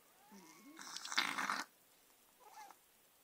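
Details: Margot, a Persian cat, snorts while attacking pen and paper indoors: faint thin squeaky tones, then a harsh, breathy burst of under a second, and a soft short sniffle after a pause.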